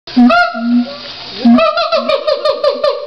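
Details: Siamangs at the Los Angeles Zoo; steady low hoots alternate with loud rising whooping notes, the series quickening into rapid pulsed barks toward the end.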